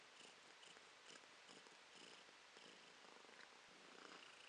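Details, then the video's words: Purring from Romashka the cat, recorded January 2023: a soft, grainy rumble pulsing in short surges about every half second, with a quiet background hiss. "Кошка Ромашка урчит"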